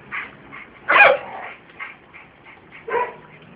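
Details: Scottish Terrier giving one loud sharp bark, then softer yips and a second clear bark about two seconds later.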